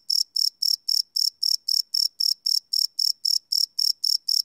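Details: Night-time cricket song recorded live on a Sony PCM D100: sharp high-pitched chirps in a steady rhythm, close to four per second, clean and uninterrupted.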